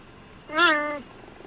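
A cheetah gives a single half-second meow, clear and harmonic, holding steady before dropping at the end.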